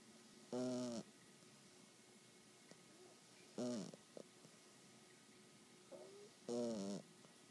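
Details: A 12-week-old English Bulldog puppy snores in short, nasal, whistling bursts about every three seconds.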